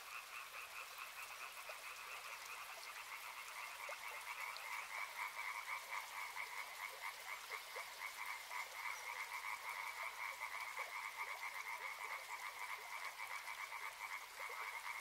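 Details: Chorus of frogs at a river: quiet at first, then swelling after about five seconds into an insistent run of rapid, evenly repeated croaks in two bright pitch bands over a soft background hiss.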